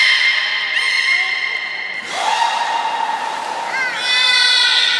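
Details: Beluga performing in the 16:00 public training at Port of Nagoya Public Aquarium, Japan, 4 November 2018; sustained harmonic calls with short rising slides, a swooping upsweep mid-way and a bright final burst, in a reverberant hall.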